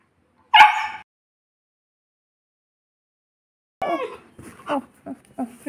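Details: Golu, a Saint Bernard left locked in a room, gives one sharp, loud, tonal whining yelp, then silence, followed by a person's soothing Bengali talk mixed with the dog's softer whimpers.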